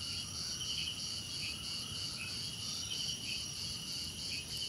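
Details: Crickets chirp without pause in a soothing nature soundscape, several high, buzzy pulsed trills stacked together over a faint low hum.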